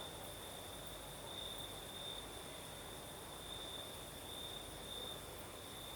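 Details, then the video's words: On a breezy night in the south of Crimea, crickets keep up a constant shrill trill that brightens in brief pulses, backed by a steady wash of wind noise. "Сверчки поют"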